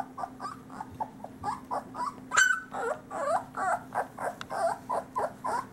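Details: Litter of Great Pyrenees boys, summer 2013, sired by Ranger out of Bella, three weeks old, whimpering in a rapid series of short nasal pulses, about one per second, with one high thin squeal near the middle and background hum.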